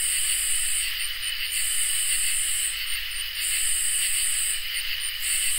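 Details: Chorus of crickets and katydids on a summer night, a sustained high trill with an intense buzzing drone broken by two short pauses filled with quick clicks.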